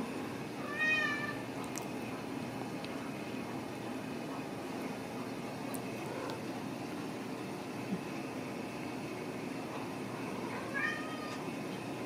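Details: Ragdoll kittens raised indoors without cages at a cattery in central Kansas give two short high rising meows, one early and one near the end, over a steady room hum with faint background noise.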